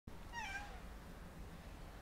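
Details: A domestic cat gives a single short meow lasting about half a second, a harmonic call that rises slightly and then falls, followed by quiet indoor room hiss.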